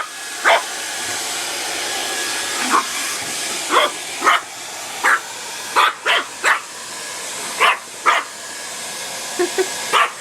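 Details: Puppy Leah, a female dog indoors, barks in fright at a running hair dryer: single sharp barks at irregular intervals, about a dozen over ten seconds, above a steady loud hiss of blowing air.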